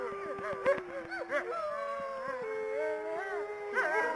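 Several wolves howl together, long wavering tones layered over short yips and barks.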